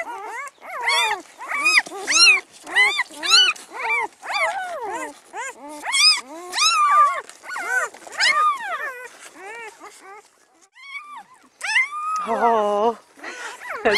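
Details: Newborn Great Pyredane puppies from a spring 2016 litter sired by a Blue Great Dane, crying in a steady run of high, arching whimpers about two per second, a brief lull, then a lower drawn-out squeal.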